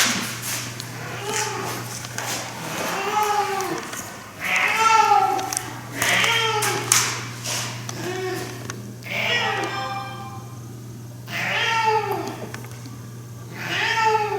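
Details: Domestic cat, a seven-year-old rescue male, making his strange noise while playing with a toy indoors; arched, wavering meow-like calls repeated every second or two, with a woman talking over them and a steady low hum.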